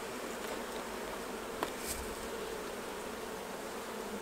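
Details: Many honey bees drone in a dense, even hum while beekeepers take honey off the hives, with one soft knock partway through.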